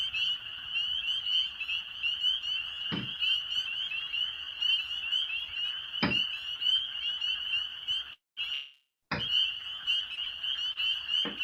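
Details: A dense spring peeper (Pseudacris crucifer) chorus on a spring night in Maine: countless high, piercing peeps overlapping into a continuous ringing wall of sound, with quacking wood frogs possibly also present.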